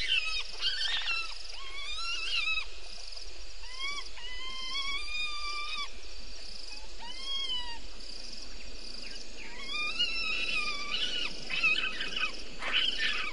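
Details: Bushbaby at Gowrie dam waterhole on Djuma Game Reserve in the Sabi Sand Wildtuin, South Africa, 04:35, 02/07/19; a series of drawn-out nasal wails, some level, some gently rising, repeated in bouts over steady background hiss.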